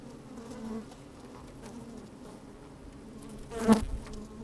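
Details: Honey bees working inside an opened hive on a fine, sunny day, microphone slid down among them; a soft steady hum near 200–250 with occasional harmonic buzzes, one louder close buzz near the end, light wind.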